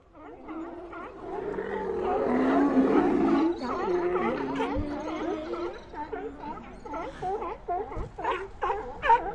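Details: Sea lions calling together: a dense chorus of overlapping, wavering, bleating calls with rich harmonics, one swelling low moan in the middle, and sharper cries toward the end.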